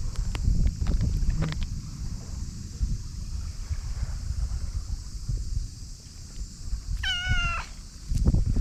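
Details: Stray cat Pink-chan emerging from under a boat in a Japanese park gives a single high, bending meow with rich overtones late in the clip, over low rumbling background noise.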